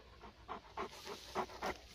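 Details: Native Central Asian Shepherd Dog male, known locally as Sagi chuponi, from Dangara district, Tajikistan, on a walk in the fields; rhythmic panting breaths, about six bursts in two seconds, with faint wind behind.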